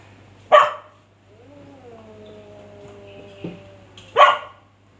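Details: A dog confronting a cat gives one loud, harsh bark, then a long, wavering, tonal whine with a short huff, and a second forceful bark near the end, over a steady low hum.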